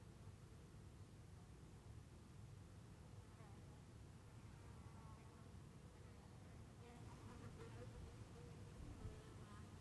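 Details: Bees buzzing outdoors in Heiden, Switzerland: soft, low humming tones with faint harmonic bands that swell as an insect passes, over a steady low rumble of background noise, louder toward the end.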